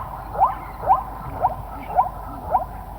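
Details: Zebra giving a run of five short, nasal barking yelps, each a quick rising note, spaced about half a second apart in a steady rhythm, over a low background rumble.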